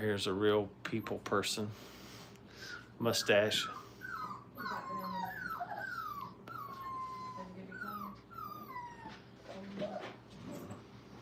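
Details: Five-week-old Brittany puppies learning crate training give thin, falling whimpers, several short whines sliding downward one after another, following a stretch of a person talking nearby indoors.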